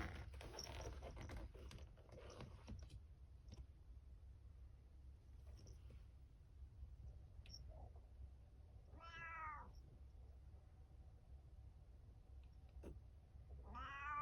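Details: Pet cat at night, giving two clear harmonic meows near 9 and 14 seconds, each rising then falling, over steady low room hum with a few soft clicks and taps earlier.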